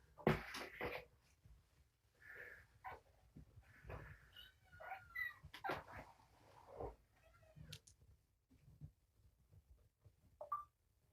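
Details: Foster kittens of the Roswell litter, three born January 19, at morning feeding with food and medicine; a few short, high, wavering meows rise through clattering dishes and food-mixing noises, with a man talking nearby.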